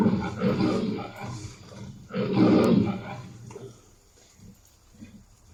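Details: Lion roaring: two deep, rough, drawn-out roars in the first three seconds, the second louder, followed by quieter low grunts fading out.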